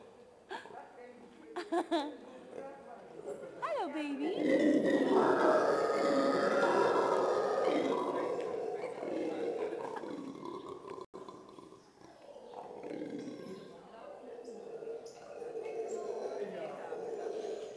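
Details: Monkeys at Köln zoo: a few short calls and a rising whoop build into a long, dense chorus of loud overlapping screams that fades, then resumes more quietly with a man talking nearby.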